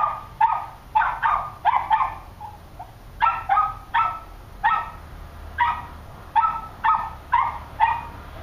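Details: Two small terriers, a Cairn terrier and a West Highland White Terrier, bark in quick, high-pitched yaps, often in pairs, several times each second.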